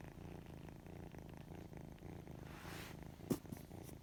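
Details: Odd-eyed white kitten purring in an even, low rumble, with a short sharp click near the end.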